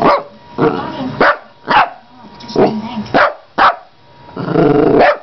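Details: Female pet dog at home, excited while playing with a carpet cleaner; several short rough barks at irregular intervals, mixed with other household noise.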